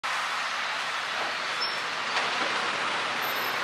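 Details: Only a steady, broad rushing noise like passing traffic or wind is heard, with no animal calls.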